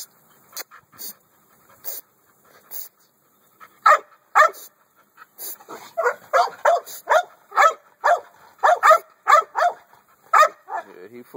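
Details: American Staffordshire Bully dog barking: a few scattered, spaced barks at first, then a fast, insistent run of sharp barks at roughly two per second through the second half.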